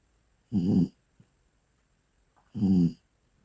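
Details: Sleeping Bull Terrier snoring indoors: two low, rough, throaty snores about two seconds apart, each lasting under half a second, with quiet breathing between.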